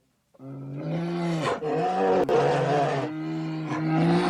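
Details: A bear from Ukraine gives a deep, drawn-out roaring moan, low and rough with a steady tone, broken by two brief pauses over about four seconds.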